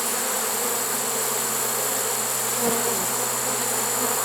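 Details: A honey bee swarm taken in a trap late in the season, September 1, 2019: a low, continuous humming drone beneath steady hiss, with a brief tap near the end.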